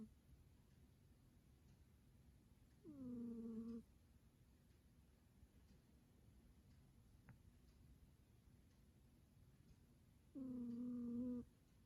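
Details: Sleeping domestic cat snoring indoors: two drawn-out, tonal, slightly nasal squeaky breaths about seven seconds apart, each lasting roughly a second, with quiet room hiss between.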